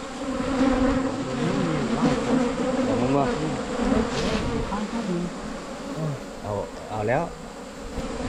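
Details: Asian honey bees droning steadily at a wild nest during a 2022 honey-hunting trip; the low, layered buzz persists beneath scattered brief voice sounds and light knocks.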